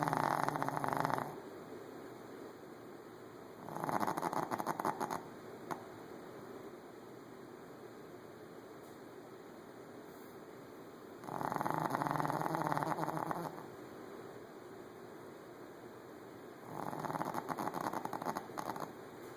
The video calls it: Snoring shih tzu